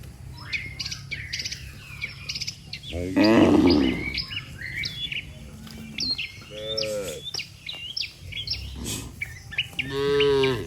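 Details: Dozens of cattle lined up neatly on a road give drawn-out, wavering moos, as if calling the herd to return home to the pen, with busy bird chirping and twittering throughout.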